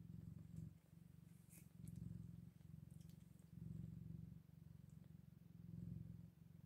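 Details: Scottish Fold kittens eight days old, indoors: soft, steady low purring that swells and fades in waves every second or so, with faint small rustles.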